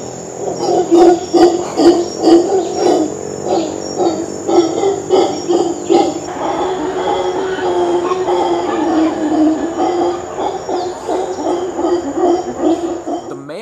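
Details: Endangered Ecuadorian mantled howler monkeys give deep, rough, pulsing roars in steady throbbing bursts; males make this call, amplified by an enlarged hyoid bone, to communicate over long distances, heard from miles away.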